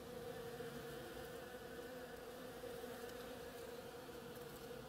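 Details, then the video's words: Steady humming drone of bees at work on a flowering oriental creeper, several wingbeat tones blending into one unbroken buzz at even loudness. "Bees hard at work on my oriental creeper"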